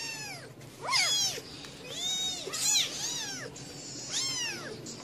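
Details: Domestic cats on the fourth day after birth, a mother cat tending and protecting her kittens; high, thin arched mews repeat roughly every second, some overlapping, over a low steady background hum.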